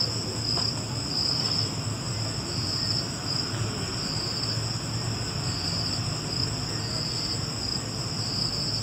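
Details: A cricket trills continuously, high-pitched and faintly pulsing, with a thin upper overtone band and a soft low rumble underneath the whole time.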